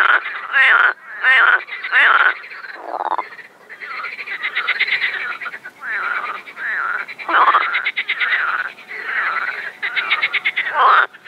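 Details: Spring mating frogs croaking in an overgrown pond near Moscow, Russia, under warm May sun in 2021; several callers overlap in a near-continuous chorus of raspy, pulsed croaks rising and falling in loudness.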